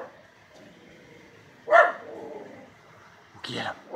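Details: Jake, a miniature schnauzer barking at something in the yard, lets out a sharp bark followed by a rough rumbling tail, then a second bark near the end; a person urges him on between barks.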